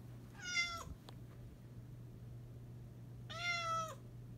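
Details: Indoor cat that wants to go outside and hunt lizards, giving two clear, drawn-out meows about three seconds apart. Each starts high and slides down, over a steady low electrical hum.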